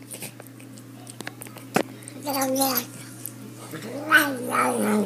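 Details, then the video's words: Domestic cat vocalising while eating, a drawn-out mumbling meow that rises and falls in two short arcs near the end, with faint background chatter and clicks. "面白い猫と子猫を食べながら鳴きながらYUM YUM YUMを言って"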